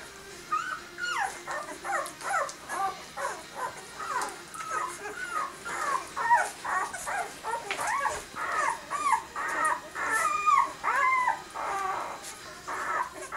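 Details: Newborn dog pups, six days old, whimpering and squealing steadily, a run of short wavering cries about twice a second over thirteen seconds, several pups overlapping.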